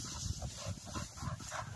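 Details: Cocker spaniels out retrieving tennis balls and rope along a river bank in gundog-style play. A dog pants in quick, breathy, muffled bursts, roughly four a second, over faint outdoor ambience.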